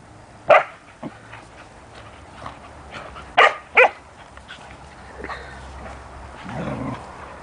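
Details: Standard poodle Juki, a mother raised alongside her puppies Rufous and Brutus; a few short sharp barks, two coming quickly together, then quieter whimpering sounds against a low background hum.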